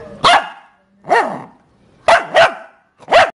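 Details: A Shih Tzu puppy barks while playing hide and seek with its owners: five high, clipped yaps, two of them in a rapid double, separated by short pauses.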